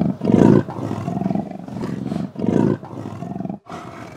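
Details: A female leopard, seen moving through a sandy riverbed in the Botswana bush and not hunting, gives the classic rasping seesaw cough, a rhythmic series of coarse grunts advertising her territorial boundaries to other females.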